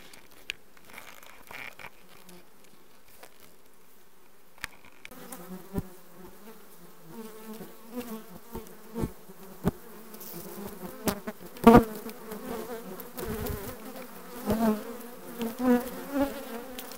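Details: Honey bees of a requeened colony in June 2020; after about five seconds of near quiet a steady low hum with stacked harmonics rises, broken by sharp clicks and knocks and louder swells near the end.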